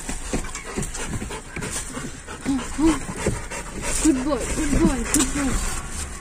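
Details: Labrador Retriever waiting eagerly outside an office for its owner: panting, then high, wavering whines and whimpers in short bursts, mixed with a man's praising speech and background music.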